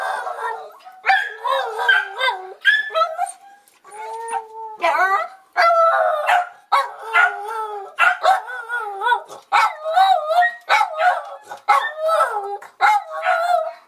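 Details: Dog singing during a bath in a utility sink: wavering, yodel-like howls and whines that rise and fall, mixed with overlapping human speech and splashing water throughout.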